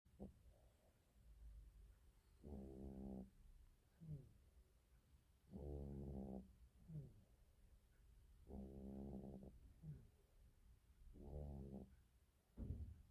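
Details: Cat snoring: low, rattling, harmonic-rich buzzy snores about a second long, recurring every three seconds or so, with softer breathy in-breaths between, in a quiet room.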